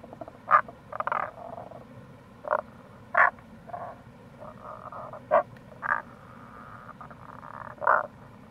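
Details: Tago's brown frogs calling in April by a gorge on the Kamo River, Itoshima, Fukuoka, Japan: abrupt low croaks roughly every second or two, mixed with longer rasping pulsed notes from other frogs, over a steady water rush.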